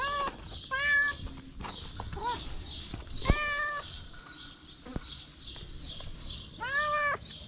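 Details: Little feral kitten standing on two legs to lick fingers, giving several high harmonic meows, some short and arched, others longer, with rustling and handling noises between calls.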